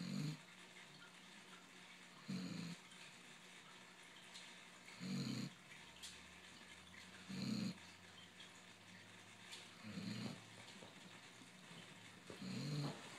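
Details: A basset hound snoring while asleep: low, rough, rumbling snores every two to three seconds, six in all, with quiet breathing between them in a calm room.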